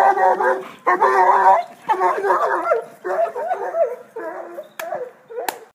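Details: Almost continuous baying from a basset hound: harsh, strongly harmonic howls that waver up and down, gradually softening into shorter yelping bays, with a couple of sharp clicks near the end.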